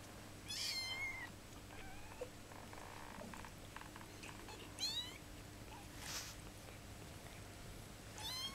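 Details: Kittens at fifteen days old, mewing in short, high-pitched, wavering cries that come in bursts a few seconds apart, over a constant low electrical hum and light handling noise.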